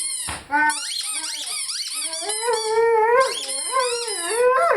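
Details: Rhodesian Ridgeback named Lyle howling and singing along with his favorite squeaky toy; wavering, sliding howls with rich harmonics, mixed with high squeaks from the toy, rising toward the end.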